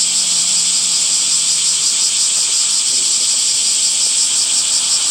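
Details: Cicadas in summer among green trees, a dense continuous shrill buzzing chorus concentrated high in pitch with a steady pulsing texture and constant loudness; a faint low hum is heard briefly at the start.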